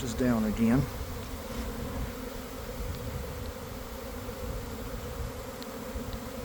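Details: Swarming honey bees leaving a garden hive around one in the afternoon after a week of cold, damp weather: a dense, steady low hum from the swarm, with one loud bee zooming close past at the start.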